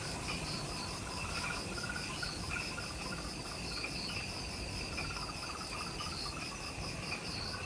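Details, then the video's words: Forest insects on Ishigaki Island, Okinawa, Japan, recorded near the Mount Omoto trailhead just after sunset: continuous high pulsed chirping at several pitches blending into a dense shimmering chorus, with low background rumble throughout. "Relaxing Jungle Ambience with Insects"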